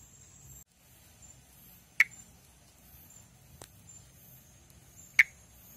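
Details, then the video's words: Monkey tree frog (Pithecopus nordestinus, perereca-macaco) from northeastern Brazil, recorded calling and in amplexus. Three short clicks roughly every one and a half seconds, the middle one softer, over a low rumble and a constant high whine. "Vocalização e amplexo de Pithecopus nordestinus"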